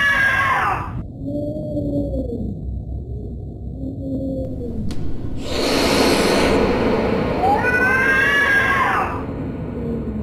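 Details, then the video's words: Cat producing short, low, moaning yowls, then a sudden loud, broad harsh burst and a rising-falling wail toward the end. "Scary cat sounds"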